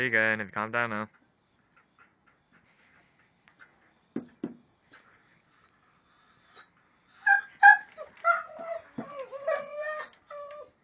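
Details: Alaskan Malamute dog vocalizing at a family dinner at home: an opening burst of loud, harmonic, wavering howl-like sounds for about a second, a quiet pause with two short yelps, then a run of rising and falling yips and moans.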